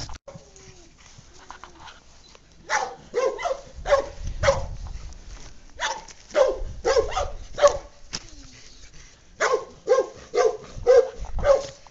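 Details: English Cocker and Lab puppies at play, giving sharp, mid-pitched yips and barks in uneven clusters, often several per second with short pauses between, over soft low thumps and shuffling of movement.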